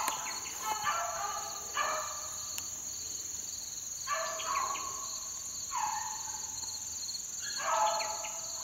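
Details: Beagle pups about four months old working in the wild on a dry morning. Drawn-out, harmonic baying notes come in five bursts roughly every two seconds over a steady high insect whine.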